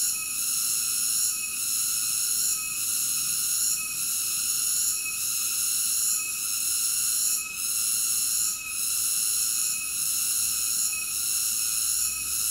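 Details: Cicada singing: a continuous, shrill, high buzzing made of stacked bright tones, dipping briefly about every second and a quarter, steady and unbroken throughout, with no other animals, voices or music.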